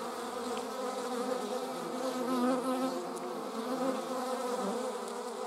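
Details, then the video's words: A group of German wasps flying, their wings making a dense droning buzz with layered tones that drift in pitch, briefly louder midway. "German wasps - slomo flight show. Deutsche Wespen Zeitlupen Flugschau"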